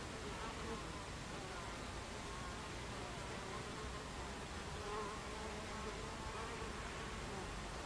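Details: Buckfast honey bees at a hive entrance, recorded 26 July 2013 at 14:30: a steady, dense hum of many wings with a faint low drone running through it, and no other clear sounds.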